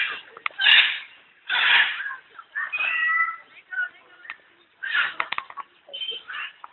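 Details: Cat at the Alipore Zoological Garden in Kolkata, India, giving a series of drawn-out, nasal meows and yowls in uneven bursts about every second or two, with quieter murmuring sounds between the calls.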